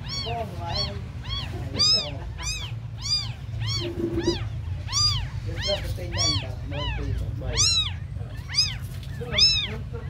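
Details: Very small abandoned kittens call nonstop, about two high rising-and-falling meows each second, some overlapping, loud and piercing above a faint low background rumble.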